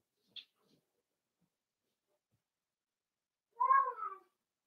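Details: Four-week-old Cavalier King Charles Spaniel puppy in a home puppy pen: one short, high whine that slides downward and carries layered overtones, after a tiny click and near silence.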